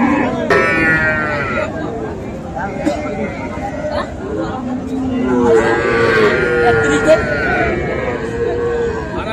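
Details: Sahiwal bull and heifer calves at a cattle market in Comilla, Bangladesh, on 13 September; two drawn-out, tonal moos, one early and a longer wavering one later, over steady crowd chatter and nearby talking.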